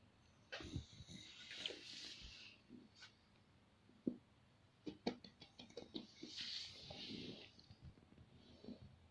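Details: Sleeping pet dog Dordor dreaming, giving irregular snorts, puffs and clicky breaths, with a brief cough-like burst and a louder snuffling spell near the end in a quiet room.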